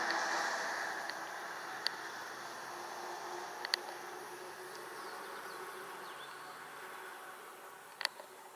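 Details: Foraging worker bumblebee, Bombus diversus diversus, visiting violet and white rocket larkspur flowers for nectar and pollen in a flowerbed, late June 2016, Japan; steady droning hum with a low tonal band, gradually fading, a few sharp clicks over broadband hiss.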